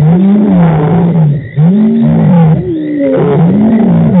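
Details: Lions roaring at Djuma Game Reserve on March 24, 2018: deep moaning calls with arching low tones, repeated about once a second, dense and continuous throughout.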